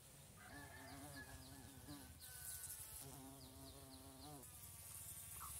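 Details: A bumblebee in Thailand drilling down into flowers gives a deep, wavering buzz in two long bursts over a low background rumble.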